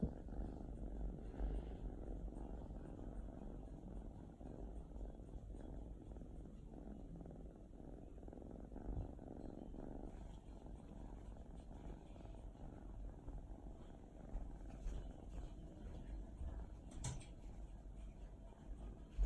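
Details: Wasabi, a female mixed-breed cat with a large mole under her nose, dozes on her favourite sofa on a holiday early afternoon; a soft, steady low rumble of purring runs throughout, quiet and continuous, with faint room hiss.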